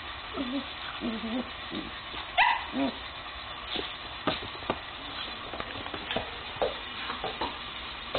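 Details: Two German Shepherds, Thor, a 9-month-old male, and Beya, 3 months old: soft low whimpers, then a sharper higher yelp, followed by scattered clicks and knocks against a steady hiss.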